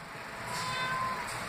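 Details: Reuben, a pet cat who rarely meows, gives a short tonal meow lasting about half a second, with faint harmonics above, indoors with quiet room hiss.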